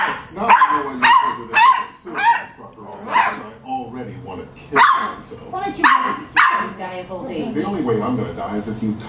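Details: Beagle puppies between four and eight weeks old give short, high, harmonic yips and barks in quick irregular bursts, roughly two a second at times, with human voices talking over them.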